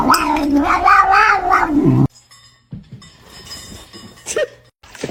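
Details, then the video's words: Domestic cat caught in a funny kitten compilation: a loud, two-second wailing caterwaul with a strong harmonic, slightly wavering pitch, then a cut to quieter room noise, soft thumps and a short squeak. "kitten meowing"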